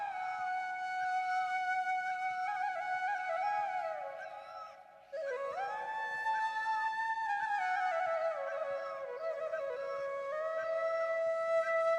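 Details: A sustained flute melody with sliding, ornamented notes plays throughout, with a brief drop in volume near the middle and no animal sounds.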